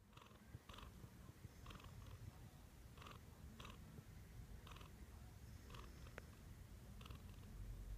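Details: Domestic cat named Ten, sitting on its owner's chest just after she woke in the morning and purring once stroked; steady low rumble with soft rhythmic brushing bursts about once a second.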